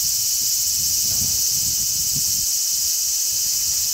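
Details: A crowd of large brown cicadas calling from a zelkova on 3 August 2010 makes a constant shrill, hissing buzz without pause, while a strong sea breeze adds soft low buffeting beneath.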